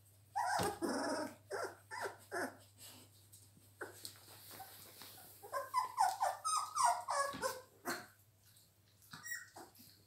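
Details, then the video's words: Three-week-old Labrador Retriever puppies: a litter giving short irregular whimpers, squeaks and little yelps in clustered bursts, some overlapping, over a low steady hum. "chiots labrador 3 semaines"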